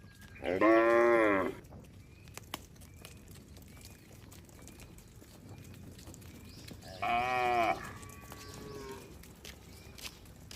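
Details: Cattle wandering in a herd on the road give two loud, drawn-out moos roughly six seconds apart, rich and harmonic, over quiet ambient noise with faint chirping in between.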